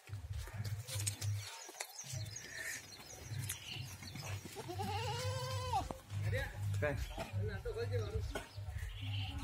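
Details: Goat at a goat farm in Ajmer, Rajasthan, giving one wavering, quavering bleat lasting about a second, mid-clip. A man talks throughout, and a steady low hum runs underneath.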